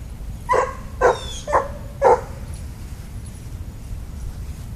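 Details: [1, 'yes', 'bark', "Daisy, a dog at a park, excited on finding dogs along the fence of the little dog side: four short, sharp barks roughly half a second apart, then quiet with faint background hum and a woman's voice nearby."]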